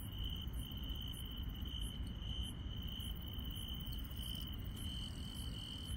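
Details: Countryside grass insects calling at night: a constant shrill trill, with higher clicking pulses recurring about twice a second, above a dense low rumble.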